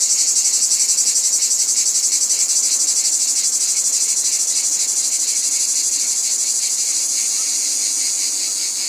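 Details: Loud cicada chorus: high-pitched shimmering buzz, strongly pulsed at first, then smoothing into a steadier drone that slowly fades slightly.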